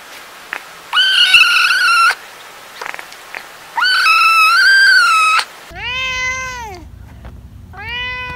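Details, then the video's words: Cats meowing: two long, flat, strained meows lasting about a second each, followed by shorter arched meows of a higher, clearer voice, with a low hum under the last ones. "Cats Meowing – Kittens Meowing Video – Cute Kitten Meowing Videos – Funny Cat Meows"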